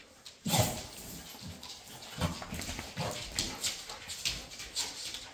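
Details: Female Labrador Retrievers at play together; after a brief quiet start, a loud sharp yelp is followed by a string of shorter barks and whines, mixed with thuds and rustling movement.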